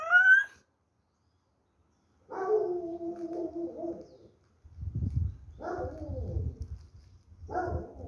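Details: Bull Terrier. A Bull Terrier opens with a short, high, rising whine. It follows with longer, moaning, talk-like sounds rather than sharp barks, separated by pauses and soft low rumbles.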